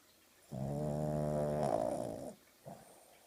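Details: Oogie the dog, asleep on a sofa in the morning and wiggling in her sleep, lets out one sustained, grating snore almost two seconds long, followed by a brief snuffle in a quiet room.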